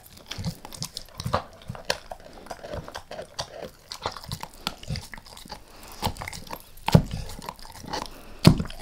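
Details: Pet dog Max chewing a beef rib in a small room, lightly at first and then all in: uneven crunching bites about every one to two seconds, sharper cracks near the end.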